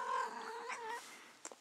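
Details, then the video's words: Female house cat in heat, giving a drawn-out yowling call that holds level for about a second, then fades out, with a brief click near the end. "my annoying cat"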